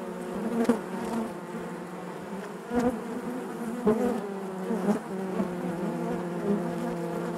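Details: Steady droning hum of honey bees within the hive, layered low tones holding throughout, with short louder surges around three, four and five seconds.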